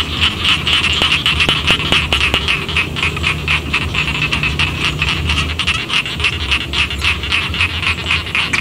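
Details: Frogs in village rice fields croak in a busy overlapping chorus, with rattling clicks repeated several times a second and a few distinct louder pulses early on, all over a low steady hum.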